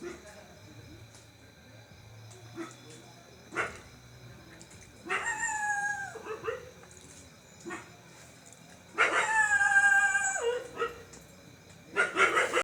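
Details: Pet dog crying at home: two long wailing, howl-like cries with slowly falling pitch, separated by several seconds, plus brief yelps and scattered soft clicks and taps.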